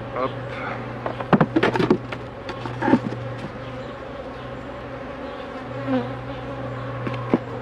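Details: Steady buzzing of honey bees while a beekeeper handles the hives, an even low hum under sharp clicks and knocks and a few spoken words early on.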